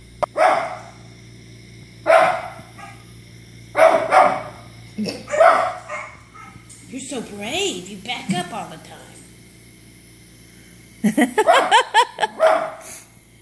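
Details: Izzy the pet dog barks repeatedly at TV dogs, sharp barks about every one to two seconds, mixed with people talking midway and a burst of rapid barking near the end.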